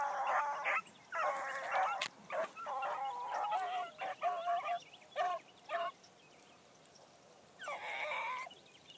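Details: Bee, a new Blackcreek gyp running a trail on her first morning out, gives uneven, nasal bawls and chops, several clustered together, then a quiet gap before one last longer bark.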